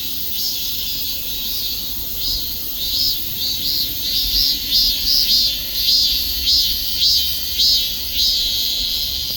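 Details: Cicada calling in a steady high-pitched buzzing drone, with brighter rasping pulses repeating about twice a second that grow louder midway, over a constant hiss-like chorus.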